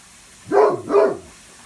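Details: Great Pyrenees on guard duty at an upstairs bay window, one of two pet dogs, Blanche and Lee; two deep, full barks in quick succession, about half a second apart.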